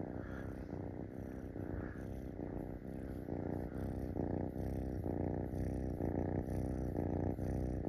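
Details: Munchkin kitten climbing onto someone's belly and demanding to be stroked, purring close up: a deep, rhythmic rumble pulsing about twice per second, loud and continuous from start to end.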